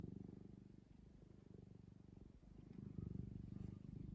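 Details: Pet cat purring while kneading a soft blanket: a steady low rumbling purr with fast regular pulses, rising and falling gently with each breath, close and continuous throughout.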